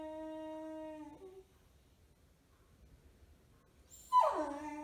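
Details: A six-month-old beagle puppy, just after his sterilisation surgery and wearing a cone, gives a long, steady, tonal whine, then a sudden loud yelp that slides downward.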